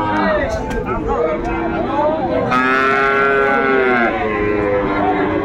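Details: Sahiwal bull calves at a cattle market in Chittagong, Bangladesh, in December: long, loud harmonic moos with a steady low tone, one rising to a strained higher bellow midway, over a constant background of market crowd noise.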